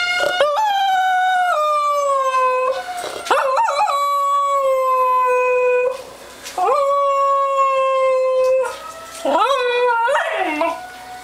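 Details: Female dog howling along when the town fire alarms go off: long, sustained, wavering howls, each rising at the start, then holding a steady pitch, in four or five phrases separated by brief pauses.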